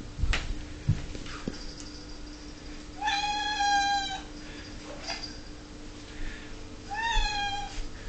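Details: Female domestic cat, 11 years old, whinging constantly and aggressively for her dinner at six o'clock as canned food is served indoors; two drawn-out, strongly harmonic meows about four seconds apart, with clicks and handling noises between.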